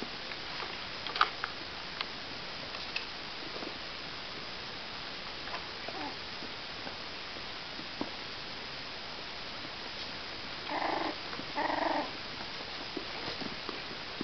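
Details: Cavalier King Charles Spaniel puppies, 37 days old, indoors: soft ticking and pattering of small movements, then two short harmonic whimpers about a second apart near the end.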